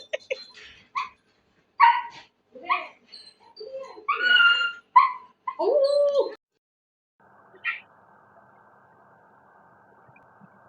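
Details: Puppy giving a rapid series of high, whining whimpers and yips, some rising then falling, for about six seconds, then one short yelp over a faint steady hum, with brief speech nearby.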